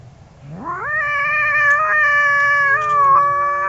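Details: Angry cat, one of a pair, giving a single sustained yowl that sweeps up sharply, then holds a steady, strained, harmonic-rich tone for about three seconds.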